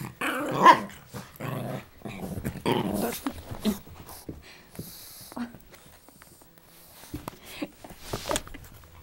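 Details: A Boston Terrier growls and gives short, rough barks in playful bursts while fighting his brother for a toy under a table.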